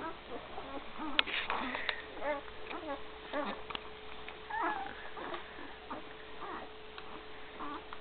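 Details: One-week-old Great Dane puppies with their mother, 2012: a busy chorus of thin, high squeaks, whines and short squeals overlapping throughout, with a steady electrical hum beneath.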